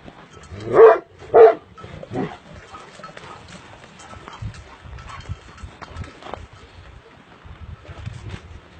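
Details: Sharr dog, a pure Illyrian shepherd breed, filmed by an amateur, letting out two strong low barks in quick succession and a softer third. A low rumbling background follows for the rest.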